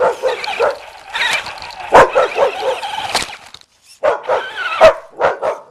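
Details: A puppy barks and yips in quick uneven runs while chasing a remote-control car, with a brief pause before another burst of high yelps.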